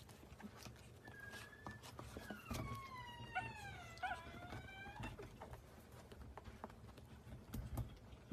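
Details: Chihuahua giving a thin, high whine that slides downward in pitch, followed by a couple of shorter drawn-out whimpers amid faint clicks and room noise.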